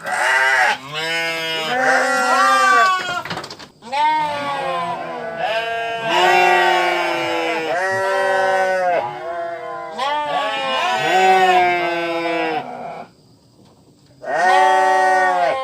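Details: Sheep bleating in a run of loud, wavering, nasal bleats, each one to two seconds long, with several voices overlapping and following one another closely, then a short pause before a final bleat.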